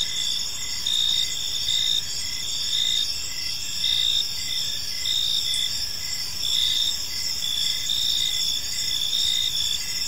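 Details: Evening chorus of park crickets, shrill continuous trilling broken by pulsing chirp groups that rise and fall in loudness, over soft low background rumble.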